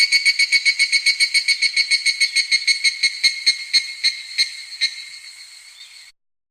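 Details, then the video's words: Meimuna mongolica cicada (Korean 쓰름매미) singing: a rapid run of buzzy, rasping pulses, about three to four each second, that slow and fade before stopping near six seconds. "매미 우는 소리 #2 (쓰름매미), Singing Cicada Sound Effect #2 (Meimuna Mongolica)"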